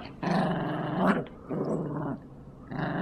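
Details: Yorkshire Terriers Jax and Brando growl throughout a tug-of-war game, with three rough, throaty bursts, the middle one rising briefly in pitch, over background music.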